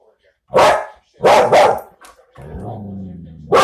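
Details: Pet dog giving three loud barks, two in quick succession, then a drawn-out, low, harmonic whine or growl for about a second before a final bark breaks in at the end.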